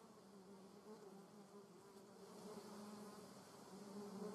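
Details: Garden recording of a German wasp: continuous low humming buzz with layered overtones, growing gradually louder toward the end as it comes closer.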